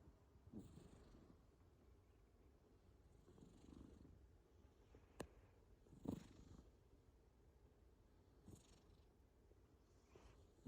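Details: Sleeping cat snoring: soft, low raspy breaths returning every two to three seconds, each a brief rumbling puff, with a couple of sharp faint clicks between them and a hushed background.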